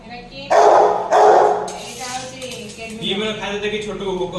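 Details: Kelvin, a Rottweiler, angry over chicken, gives two loud, harsh barks about half a second apart near the start, followed by human talking that fills the rest.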